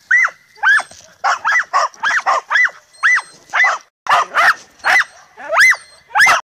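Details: A Podenco Andaluz at night, having climbed a tree while harassing a cat, gives sharp, ringing, yelping barks about twice a second in an uneven, excited rhythm.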